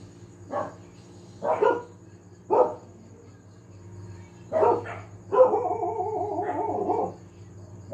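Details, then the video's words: Family dog barking again and again: three spaced barks, a double bark, then a long wavering howl-like bark, with a low hum underneath. "tahol ng aso/dog barking/the dog sound"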